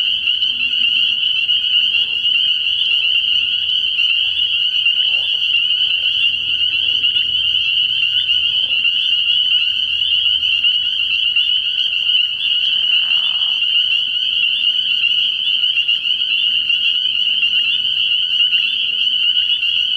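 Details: Frog pond at night early in the year, packed with calling spring peepers: an unbroken high, shrill chorus of overlapping peeps for the full twenty seconds, plus a brief lower grating call near the middle and faint low hum.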